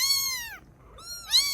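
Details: Rescued baby kittens in Vietnam, now treating their rescuer as a parent, give two high meows, the first long and sliding downward, the second shorter and rising then falling.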